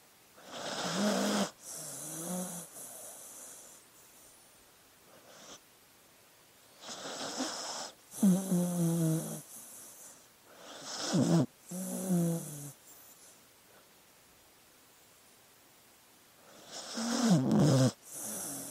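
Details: Sleeping dog snoring and breathing: rough, rasping bursts of one to two seconds, some with a rattling low buzz, separated by quiet pauses of several seconds, irregular in rhythm.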